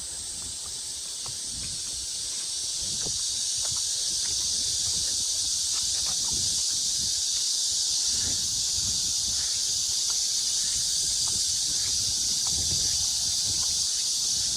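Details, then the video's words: Cicadas singing at Mujinjeong on an early August 2021 afternoon, about 1 p.m.: a dense, unbroken high-pitched buzz that swells slightly over the first seconds, then holds level with faint ticks and rustles below. "시원한 매미소리"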